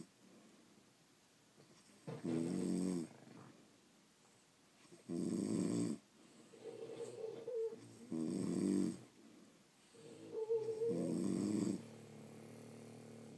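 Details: French Bulldogs asleep, snoring in a steady rhythm: four strong rattling snores roughly three seconds apart, softer whistling breaths in the gaps, quiet room hiss underneath.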